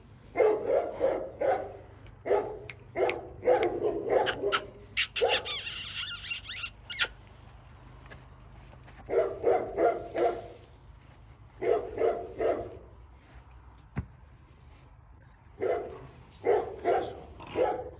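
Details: Cane Corso puppies giving short, harmonic yelping barks in quick clusters of three to six, separated by pauses of a few seconds, with a brief rustling noise near the middle.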